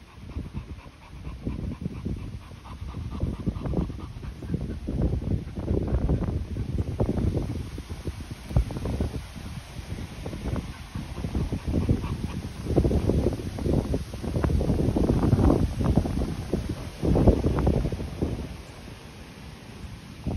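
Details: Continental Bulldog panting, a young Swiss-bred dog, either 10-month-old Rita or her 2-month-old brother Sumo; rhythmic breathy huffs repeat quickly in uneven bursts, swelling louder midway, with low broadband noise underneath.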